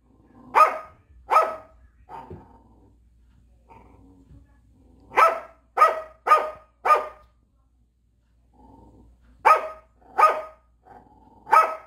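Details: Jindo dogs of a dog couple living in a seaside rural village in Korea, at home behind a fence: loud sharp barks in three bursts of two to four, about nine in all, separated by quieter pauses with faint rustling.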